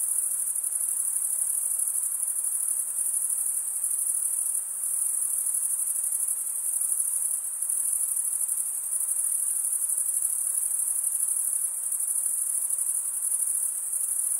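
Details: Continuous cricket chirping, with many insects overlapping into a shrill, finely pulsed high trill. Loudness dips briefly a few times but the chorus never stops, and nothing else is heard.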